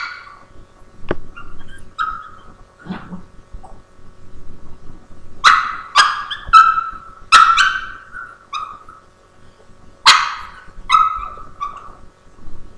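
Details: Boston Terrier barking at a Havanese to get him to share his treat, recorded indoors on a laptop webcam; short sharp barks and yips come in bursts, with quiet gaps and a low whimper between them.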